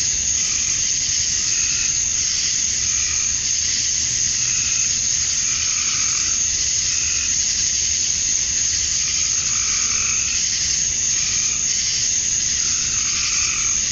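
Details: On a summer evening at dusk in Georgia, USA, cicadas keep up an unbroken high-pitched whirring drone. Mid-pitched calls come and go repeatedly in the background.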